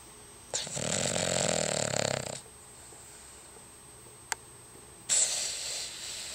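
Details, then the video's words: Cavalier King Charles Spaniel named Frodo, asleep and snoring as he does every day: a long rasping, rattling snore of about two seconds, a quiet pause with a brief click, then another harsh snore starting. "My dog Frodo snores like an old man"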